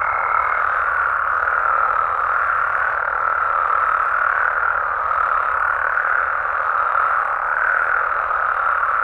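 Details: Mexican frogs and toads calling at night in natural habitat in Mexico: a dense, unbroken chorus of overlapping croaks forms a steady mid-pitched roar, with a brief higher steady note at the very start.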